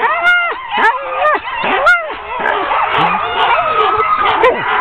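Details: Ten sled dogs being harnessed for a training run on October 16, 2010, giving drawn-out arching howls and yips at first, then a steady mass of overlapping excited barking.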